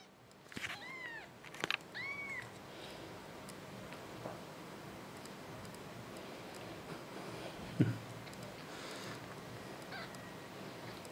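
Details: Six-day-old kitten named Mimmi, rejected by its mother and now with mother cat Patmie indoors, giving several high thin arching mews in the first two and a half seconds, then quieter room noise with a few knocks.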